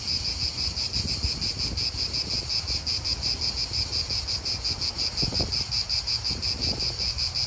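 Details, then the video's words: Chorus of cicadas in an Italian park, a high, unbroken metallic buzz that pulses quickly and evenly, with soft wind and faint low traffic rumble underneath. "Cicadas wind real atmosphere in an Italian park"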